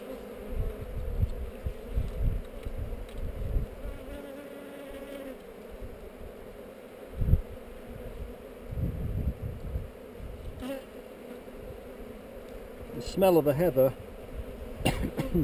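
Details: Honey bee hive on heather under inspection, captured with a GoPro: a constant low buzzing hum beneath repeated bumps, scrapes and knocks from the handling, with a louder clatter toward the end.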